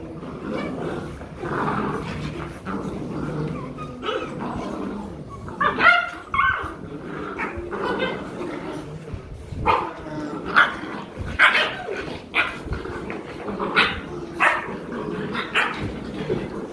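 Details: Pet Rottweiler puppies in Vietnam wrestling in play, practising bites; repeated short yips and whimpering squeals come in quick bursts through the scuffle, growing busier toward the end, with a person speaking nearby.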